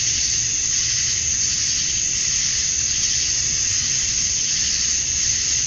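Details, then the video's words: Male cicadas chirping to attract females at summer dusk in Georgia, USA; a continuous shrill buzzing wall of sound, high and even, with faint rhythmic swelling. "Cicadas at Dusk, Summer Night"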